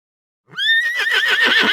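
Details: A horse whinnies once: a rising, pure tone opens the call, then it turns into a strong, trembling, pulsing neigh that lasts over a second, heard cleanly without background noise.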